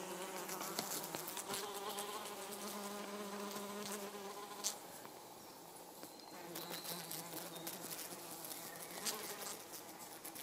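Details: Wing drone from Helophilus pendulus hoverflies, three of them including a mating pair: a low, even hum holds for several seconds, breaks off, then returns more faintly, with scattered clicks and a hissy background.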